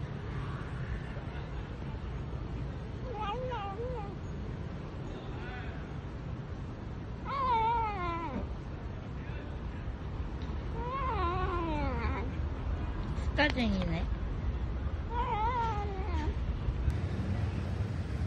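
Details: Korean street cat meowing after being given a treat, a series of short rising-falling meows in bursts, over steady background music and a low hum.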